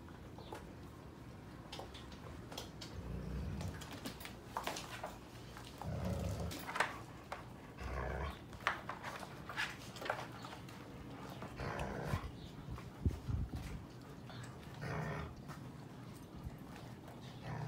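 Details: Sheepadoodle puppies, seven weeks old, visited by their mother Pepper, with Pepper's and Coco's litters together; soft whimpers and low grumbling growls come in short bursts amid rustling and scuffling indoors.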